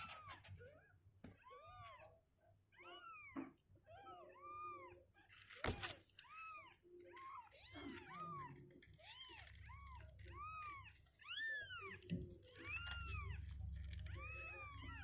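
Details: Healthy two-week-old kittens inside, legs strengthening, not wanting to stay in the box; many high arched mews at roughly one per second, overlapping voices, a sharp knock midway and low rumble.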